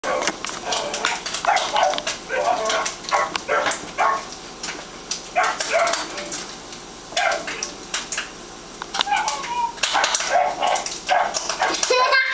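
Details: A pet dog barking because he cannot reach his snacks; short sharp barks repeat in quick, uneven bursts through the whole stretch, mixed with people's voices.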